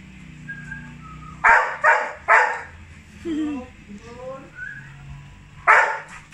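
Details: Johnson, a Labrador Retriever excited to see his dad, gives loud broadband barks in bursts, three close together then one more after a pause, with thin whining squeals and harmonic whimpers between them and faint talking in the background.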